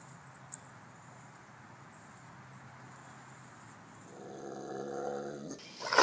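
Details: During a home protection alarm test in the backyard, a male Rottweiler guard dog breaks a quiet pause with a deep, rumbling growl that ends in a sharp bark.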